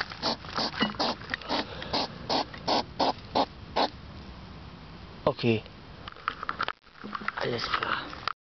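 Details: European hedgehog at night, 10pm, 3 September 2009, sniffing like a pig: a run of regular breathy puffs, then a short human voice, a brief pause and more scattered snorts.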